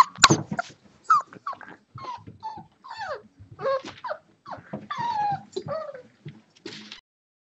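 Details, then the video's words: Six-week-old Boxer puppies at play, giving a steady run of short whimpers, yips and whines, many sliding downward in pitch, with low growly grunts and a sharp thump at the start. "Boxer Pups 6 Weeks"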